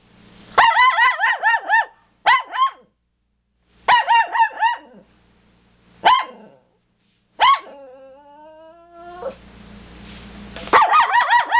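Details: Toy poodles barking at deer: repeated bursts of high, rapid yaps, some single barks, and a long rising whine around eight seconds, before another loud string of quick barks.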